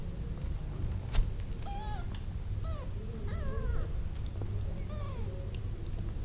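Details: Newborn kittens crying for their mother because they want to suckle: a run of about seven short, thin, high mews, each rising then falling, some wavering, spaced under a second apart, over soft clicking and low indoor rumble.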